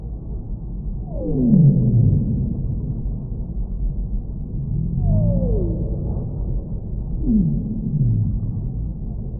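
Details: Whale moans descending in long smooth glides, three drawn-out falling calls spaced several seconds apart against a heavy low rumble of water noise.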